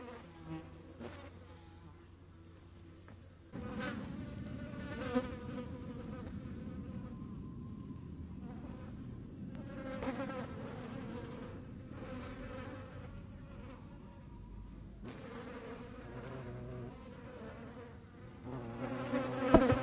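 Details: A hornet in the Eifel chases flies, its low, droning flight buzz rich in overtones swelling and fading as it approaches and veers away, mixed at times with higher, thinner buzzing from the smaller flies.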